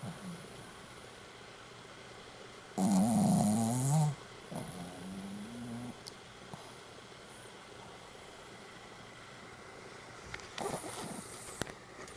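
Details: Pomeranian asleep in a Goromaru pose gives one loud, rough, vibrating snore lasting over a second, then a fainter rattle, followed by long quiet stretches of room hum with small clicks.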